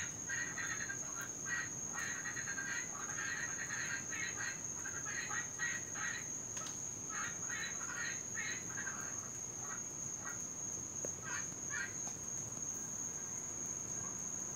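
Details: Invasive Cuban tree frogs in Florida, heard all night long and especially in rain, give loud, continuous calls. Clusters of rapid rasping bursts come in uneven runs, then thin out near the end over a constant shrill background tone.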